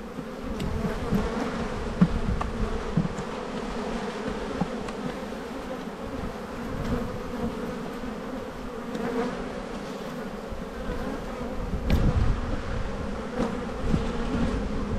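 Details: Honey bees humming steadily during a spring buildup hive inspection in a bee yard, 7-9-22, with a full brood box; a dense low drone with a slightly higher hum layered above, broken by faint clicks and handling knocks.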